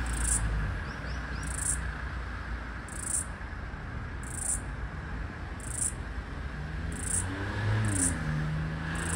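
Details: Floury baker cicada in Australia, the last of the 2022/2023 summer, trying to match its call with another cicada over a busy street: brief piercing buzz pulses spaced roughly every one and a half seconds, with passing vehicles rumbling low.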